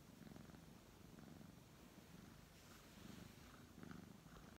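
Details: Brown tabby cat being stroked, giving a low throaty purr in short rhythmic pulses, slightly louder bursts near the end, with faint rustling of fur.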